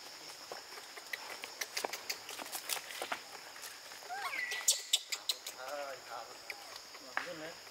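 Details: Baby monkey Brady, living with a troop in a park, screaming when his mother blocks him from nursing; brief wavering tonal cries, one sliding down from high pitch, then lower harmonic wails, over leaf rustling and sharp clicks.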